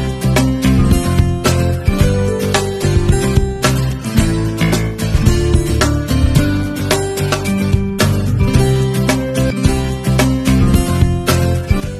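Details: Loud strummed acoustic guitar music with a steady country-style beat fills the whole stretch.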